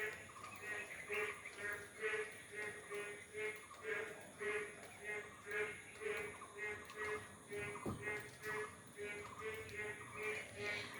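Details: Frogs call after rain in Bangladesh, a chorus of short pulsed croaks repeating steadily about twice a second, with the rhythmic calls overlapping throughout and faint background noise.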